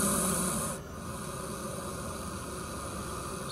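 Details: A large Gaboon viper (Bitis gabonica), captured in the Zambian bush and released on 2 January 2019, gives a loud, breathy hiss fading into a softer steady hiss, agitated at large creatures such as humans coming close.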